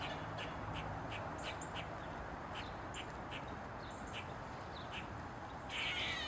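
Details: Eastern gray squirrel on a mushroom repeating sharp barks about every third of a second, closing with a loud harsh squeak, over persistent low rushing noise.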